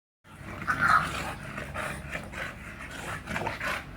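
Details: Hiccup, a bulldog, exercising: rough breathy snorts and grunting pants in quick uneven bursts, loudest near the start, with a low rumble underneath.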